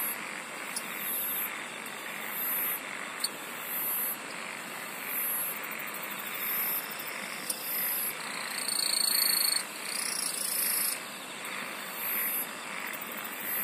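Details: Insect song in a thick night-like chorus, regular high pulsing buzzes about every one and a half seconds, persistent shrill droning trills, and a few sharp clicks scattered through.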